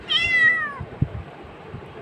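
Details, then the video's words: Domestic cat meowing while being offered food: one clear, slightly falling harmonic meow lasting under a second, followed by quiet room noise with a soft thump. "Meow meow meow meow"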